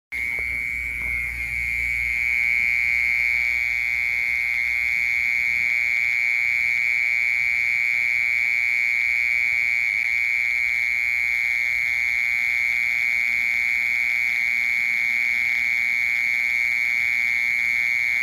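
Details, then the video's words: Mole cricket singing a continuous, steady buzzy trill at one unchanging high pitch, unbroken for the whole stretch, with faint low rumble at the start and no other animals heard. "Sounds of Mole Cricket and Cricket/សម្លេងមេខ្មុល និងចង្រឹត"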